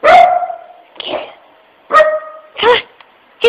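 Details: Puppy barking at a puppy-shaped tissue holder while its owner urges it to sniff the object; a few spaced single barks and yips with short gaps between them, and some talking.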